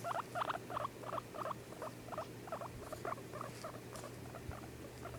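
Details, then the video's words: Pet guinea pig making noise: a quick run of short, squeaky mid-pitched chirps, about three each second in an uneven rhythm, over a faint steady low hum. "My guinea pig bubbles making noise"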